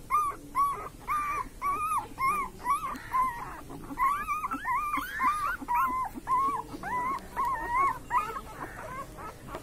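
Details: Dreaming puppies asleep, producing a steady run of high, bending whimpers and yelps, each short cry rising then dipping, repeated about twice a second throughout, fairly loud and close.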